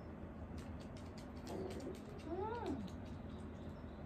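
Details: Elderly dog in home care groaning during the morning routine, as it often does whenever awake: one drawn-out, wavering cry that rises then falls, under a woman's speech and household noise.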